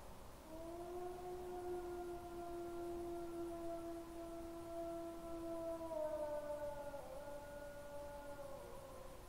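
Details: Two wolves singing on the evening of 2022-09-20, one near the camera and one far off; a steady, sustained low howl holds for about five seconds while a higher voice glides slowly downward above it, against quiet background hiss.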